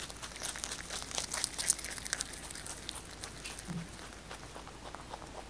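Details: Kkotdori, a pet rabbit, munching fresh basil indoors, closely miked. Rapid crunching comes at about four bites per second, louder at first and then softening toward the end.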